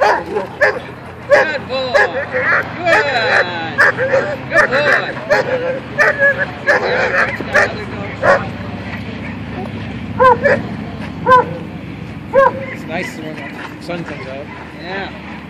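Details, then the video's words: German Shepherd named Amigo in attack training, learning to attack only on command: repeated sharp barks and yips in rapid bursts, with a man's voice giving commands and praise. "German Shepherd attack training"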